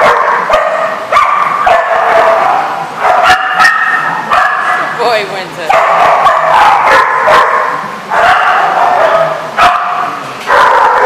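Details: Several dogs barking together at a Rhode Island dog facility on February 24, 2014: nonstop overlapping barks and high yips, a brief whine in the middle, and occasional sharp knocks.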